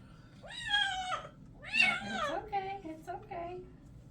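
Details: Male white and orange kitten, Ares, meowing during a bath indoors; two long, drawn-out wailing meows with falling pitch, then shorter broken cries, a woman's voice faintly in the background.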